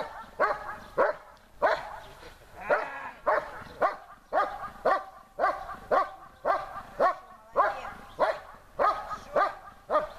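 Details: Besser, a German Shepherd in protection training, barks at the helper in a harder exercise: a long, insistent run of hoarse, forceful barks about every half second, with brief pauses between some.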